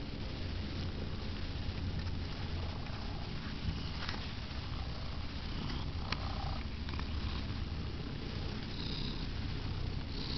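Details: Sandy the house cat purrs through her favorite pastime, a deep, even, rhythmic rumble sustained throughout with faint higher hiss above.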